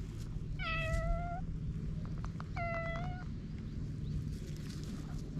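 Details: Stray cats on a Japanese cat island, about to start fighting, filmed with a GoPro: two clear, drawn-out meows, each holding a steady pitch with rich overtones. The second one is shorter, over a constant low background hum.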